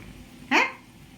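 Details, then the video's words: Pet cat perched on a washing machine, answering its owner indoors with one short, sharp, bright chirp-like meow, quick rising onset and brief fall, over faint room hum. "ওয়াশিং মেশিনের উপর বসে বসে আমার সাথে কেমন কথা বলছে দেখেন"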